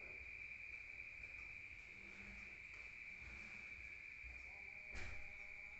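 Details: A constant high cricket trill carries through the rural night, heard from inside a room, with a low hum and a single sharp knock near the end.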